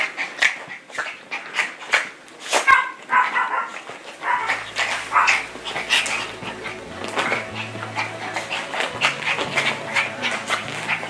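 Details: Small Yorkshire Terriers playing, sharp high yaps coming in rapid irregular bursts, a few squeaky whines early on, then a low droning hum underneath the later barking.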